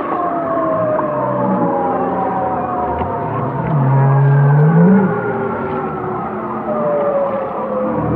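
Whale song: long, drawn-out tonal moans that slide slowly downward, with a deep rising groan midway.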